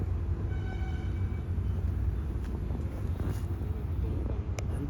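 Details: A heavy low rumble like a passing vehicle or train runs throughout outdoors, with faint voices and no animal sound.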